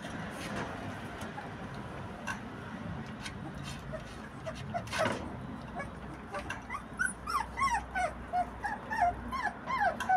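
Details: American Pit Bull Terrier puppy whimpering; faint high squeaky whines early, then a rapid run of thin rising-falling whimpers and yips growing louder over the last few seconds, over soft background rustle.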